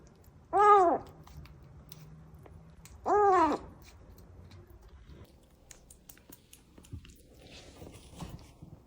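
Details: Little kitten discovered alone among flowers outside an entrance, crying; two strong harmonic meows, arching up and down, about two and a half seconds apart, followed by soft rustling and a woman's voice speaking.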